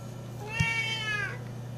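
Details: Loud 12-year-old female Siamese cat looking for love gives a single long, drawn-out meow that slowly bends upward then falls away, with a brief click partway through and a constant low hum behind.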